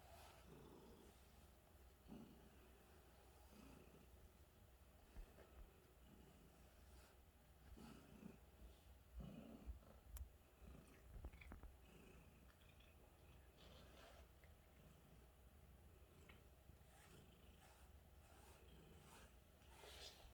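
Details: A happy, contented cat purring softly: a low, steady rumble that swells and fades in rhythmic waves about every one to two seconds, quiet and close, with faint background hiss and a few small clicks.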